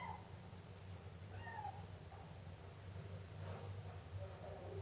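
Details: Siamese kitten letting out a couple of short, high meows near the start, followed by a soft click and fainter mewing under a steady low hum.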